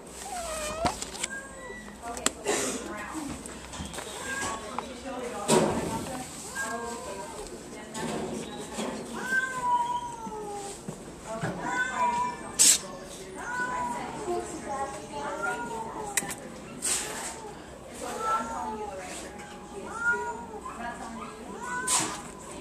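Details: Domestic Shorthair cat in a shelter awaiting adoption, indoors; repeated short rising and falling meows scattered through the recording, mixed with human speech and handling noises.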